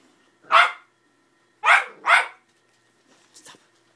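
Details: Patterdale puppy at play with a 90lb pitbull, repeatedly pestering it inside a home; one sharp bark followed by a close double bark, then faint soft squeaks.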